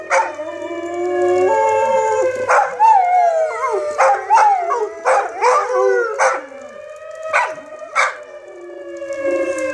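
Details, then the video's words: Several dogs howling in response to a monthly siren test; long sustained, wavering harmonic howls with sliding pitch overlap a steady siren tone, interrupted by short sharp bark-like bursts every second or so. "Dogs howling to siren test"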